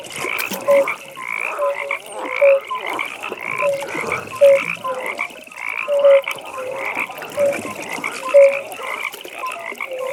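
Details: Pond frogs croaking at night, short bright notes recurring about once a second amid a continuous buzzing trill from other frogs, soft background ambience.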